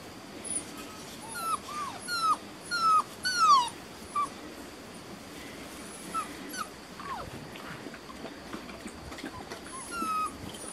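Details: Beauceron puppies at six and a half weeks, from working lines, in a new pen in May 2019, whimpering with thin high descending whines and squeaks in short bursts, busiest in the first four seconds, over a steady background hiss.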